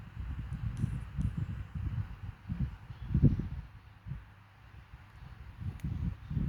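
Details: Namchok the dachshund asleep on a sofa, snoring: soft, low rumbling breaths pulse roughly twice a second, deep and muffled, with a faint hiss in the background and a couple of tiny high clicks.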